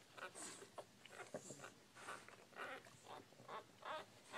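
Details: Newborn Bull Pei puppies giving short, squeaky whimpers and grunts in quick, irregular bursts roughly every half second, rising and falling in a soft, mid-pitched chorus recorded close up indoors.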